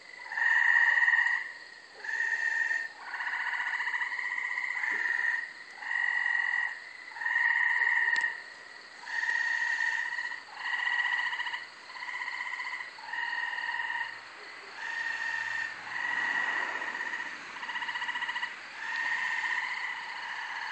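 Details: Multiple Gray Treefrogs (Hyla versicolor) calling at night on 24 May 2012 from a brushy, wooded, undeveloped corner lot in Carolina, Rhode Island, give short, musical, pulsed trills, one after another with brief pauses.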